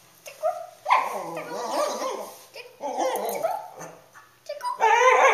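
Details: A pet cockapoo dog howls excitedly when its owners say the word "tickle": drawn-out, wavering, mid-pitched howls in three bursts, the longest about a second and a half, with brief human voices between.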